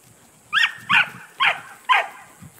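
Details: A 9-month-old male Border Collie working sheep barks four times in quick succession, evenly spaced about half a second apart, each bark short and bright. A handler calls commands and hushes nearby.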